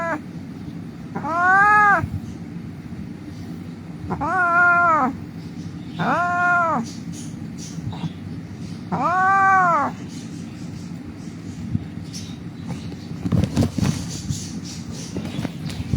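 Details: Crying of an injured street cat found lying in the road: four arched, plaintive meows spaced a few seconds apart, followed by quiet and a short burst of clattering noise near the end, over a low background hum.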